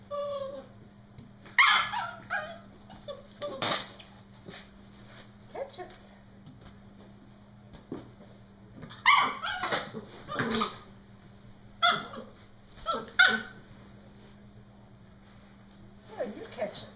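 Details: Playing with a balloon, Brody, a Norfolk Terrier, lets out clusters of shrill, squealing shrieks and shorter yips, some rising and falling, in bursts separated by quieter gaps, with a low electrical hum throughout.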